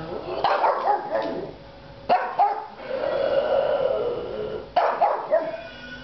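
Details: Pet pug barking at the song "Kitty" by The Presidents of the United States of America, believing its meows are real cats: three sharp, loud barks roughly two seconds apart, each trailing into softer whining tones.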